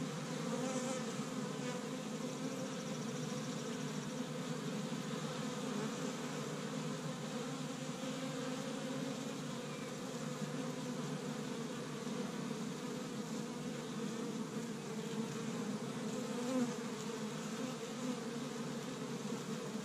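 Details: A busy established honey bee hive in Michigan on its first warm day of spring, the bees collecting pollen from tree buds. Continuous many-winged droning hum, even in pitch and volume, with a brief louder buzz passing close near the end.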